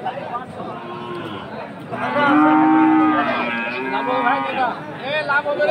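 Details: Friesian or crossbred cattle at the Aftabganj market, Dinajpur, Bangladesh, on Saturday 11 March; several overlapping lowing calls, a long moo in the middle followed by shorter ones, amid crowd chatter and market noise.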